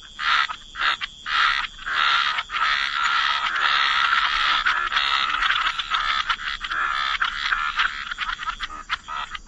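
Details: Chorus of croaking frogs by the waterside in wetlands, a dense overlapping mass of rasping croaks, steady at first and then breaking into short separate bursts in the last seconds.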